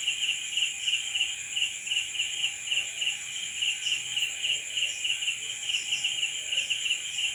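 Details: Crickets at night: a steady, high, ringing chirp pulsing about three times per second without pause, over a constant fainter whine of higher-pitched insects and a quiet background.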